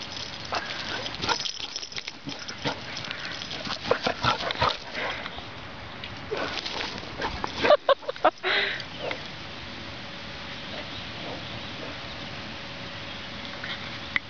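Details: A one-year-old female Basset Hound, cheerfully running while playing with an older basset, gives quick, uneven bursts of harsh barks and yelps, then goes quieter; a person speaks briefly and a low hum runs underneath near the end.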